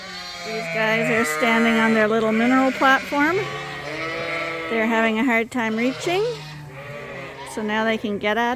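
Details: Barn full of Suffolk lambs that escaped and mingled into one large group at Ewetopia Farms; dense, continuous chorus of overlapping bleats, some rising and bending sharply at their ends, with rapid repeated calls throughout.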